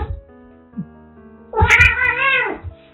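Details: A rescued young domestic kitten, now reaching sexual maturity, gives one drawn-out, arching meow with rich harmonics after a quieter stretch, over steady background music.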